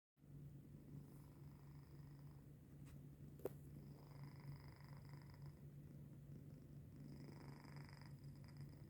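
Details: Sleeping domestic cat recorded on 14 January 2025 at 3:45 am, a soft snoring purr: a steady low continuous hum, faint and even throughout, with a single brief click near the middle in a quiet small room.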